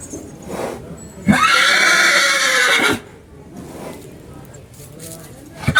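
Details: A horse that is excited and playful neighs repeatedly: one loud, long whinny of about 1.5 seconds with a rich, shaky harmonic tone, then quieter breathy snorts and faint human voices.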